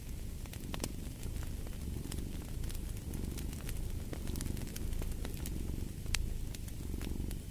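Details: Low purring of a cat runs under a busy fireplace, its rumbling pulses steady but partly covered by frequent loud crackles and pops of the fire.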